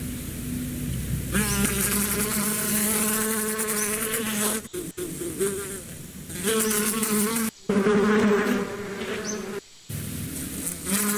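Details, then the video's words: Bees hum loudly and continuously, their low droning buzz rising and falling slightly in pitch, cut by a few short silences, with a faint chirp or two in the background. "Relax with the sound of the bees"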